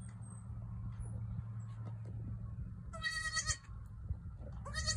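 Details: Newborn female goat bleats twice near the end, high, wavering cries under half a second each, after a stretch of steady low hum with faint clicks.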